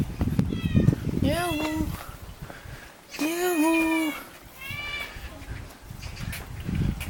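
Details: Hungry alley cat in Jeonju, North Jeolla Province, Korea, asking for food; three drawn-out meows, the middle one longest and loudest, between bursts of a man talking nearby.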